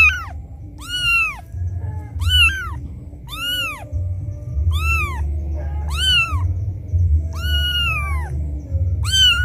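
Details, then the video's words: A kitten, left behind by its mother, gives loud, high, arched mews about once a second as if calling for her. The cry is used to lure cats, and an orange house cat went searching for the source. "Suara anak kucing menangis memanggil ibunya - suara kucing pikat"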